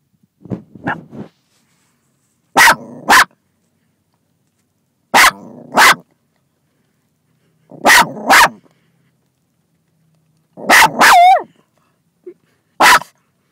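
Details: Pet dog barking from inside a car at another dog in a nearby car; loud sharp barks in quick pairs, about one burst every two to three seconds, with a final single bark and a brief whine.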